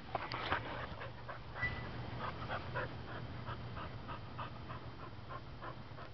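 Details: Adoptable female Welsh Springer Spaniel, found as a stray, filmed 18 August 2012, breathes in soft, uneven huffing pants, louder at first and then fading, while a man coos at her about what she has.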